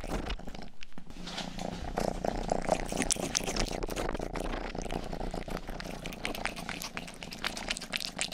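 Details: Youngest house cat Rangi grooms with its tongue, making close, crackly wet licking clicks throughout, and a soft low purr hums beneath them in a small indoor room.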